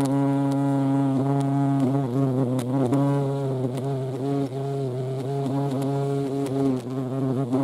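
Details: Continuous low hum of a European hornet (Vespa crabro) at a feeding place, fairly even in pitch with small wobbles and brief dips, loud and close throughout.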